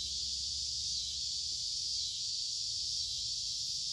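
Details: Cicadas chorusing in creekside woods during the middle of summer on a warm, humid day, an unbroken shrill electric hiss holding level for the whole stretch, with faint low rumble beneath.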